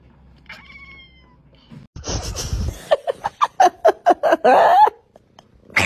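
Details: Cat giving a strange sequence of sounds: a faint early whistle, a noisy rush, then about eight short clipped meow-like bursts in quick succession ending in a longer loud cry.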